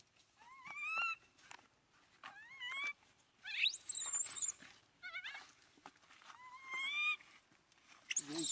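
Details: Crying of an abandoned monkey hugging its owner's feet: repeated plaintive rising wails with strong overtones, broken by a sharper, higher squeal and a few clicks and rustles.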